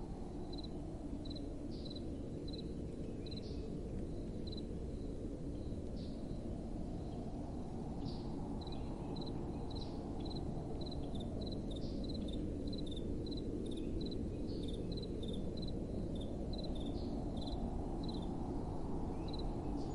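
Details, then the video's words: At night, crickets keep up a steady stream of short high pulsed chirps while soft wind swells and fades in slow gusts beneath them. "Relaxing Night Time Sounds | Crickets & Soft Wind"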